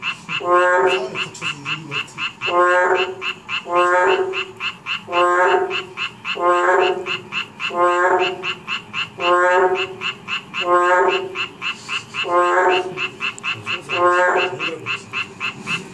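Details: Narrow-mouthed toads calling in chorus. Loud, nasal, harmonic croaks repeat roughly every one and a half seconds. Behind them runs a steady, fast pulsed trill from other callers.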